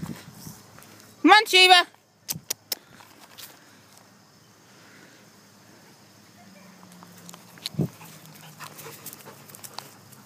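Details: A German Shepherd out at the park on a fine day gives two drawn-out, high, wavering whining yelps early on, followed by scattered footsteps, rustling and quiet outdoor background.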